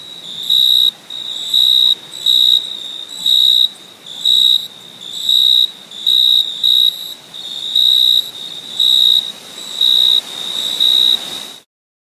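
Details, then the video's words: Crickets trilling at night in summer: about eleven evenly spaced, shrill, high-pitched bursts, each around half a second, arrive in quick succession before the sound cuts off into silence. "Crickets Chirping at Night"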